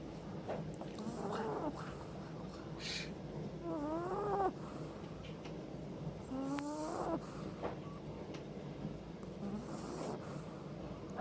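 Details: A tired, sleeping Boston Terrier puppy lying on its owner snores in rough, breathy rasps broken by a few squeaky nasal whistles.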